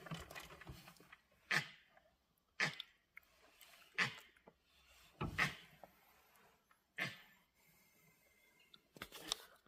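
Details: Langur monkeys in an Indian forest give harsh, explosive barks about every second and a half, an alarm call warning that a tiger is near.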